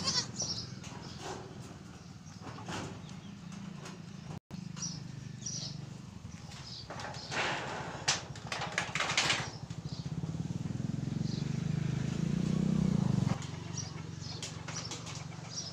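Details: Goat, a mother with four kids, giving a low, drawn-out bleat late in the recording, preceded by scattered clicks and rustling, with steady low background hum throughout.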